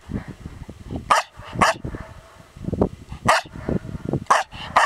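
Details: Female Norwegian Elkhound barking at herself: sharp, loud barks come in quick pairs and singles, about six strong ones in a few seconds, with softer scuffling and clicking sounds between them.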